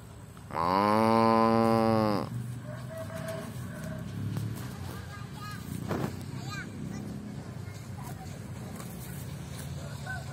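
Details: Grazing cow lets out a single full, steady moo of about a second and a half near the start, followed by faint rustling and soft indistinct background sounds.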